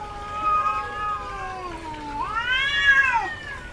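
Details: Female cat in heat yowling: a long, steady, slightly descending moan that sinks lower, then a bright arched cry swelling upward and fading, loud and close.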